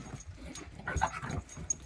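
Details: French bulldog named Bob panting in quick, breathy bursts during his first ride in a moving stroller, tethered by its built-in leash; soft huffs come in uneven runs over two seconds with faint background rumble.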